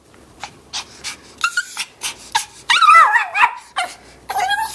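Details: Pepper, a spazzy family rat dog, at home in Colorado in the morning: rhythmic panting puffs, then high whining yelps, a drawn-out wavering whimper and short excited yips at the end.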